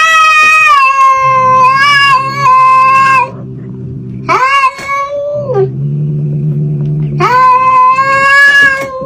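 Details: Loud, long meows from a cat, stretched and wavering, repeated four times with a low steady hum filling the gaps between them.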